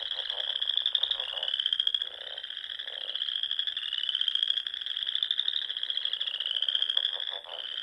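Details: Frogs singing at dusk in spring among the small lakes and ponds of Nebraska's Sandhills: a dense, unbroken high trilling chorus, with lower rapid croaking bursts breaking in every second or so.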